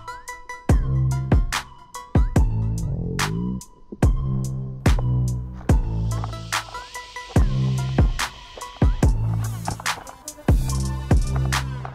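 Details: A thumping hip-hop beat with heavy bass drums and synth stabs fills the whole stretch, with no animal calls audible.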